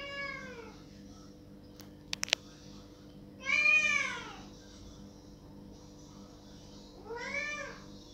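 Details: Cat crying loudly at a closed door, wanting it opened. It gives repeated plaintive, arching meows, at the start, near three and a half seconds and near seven seconds, with a few sharp clicks between the first two.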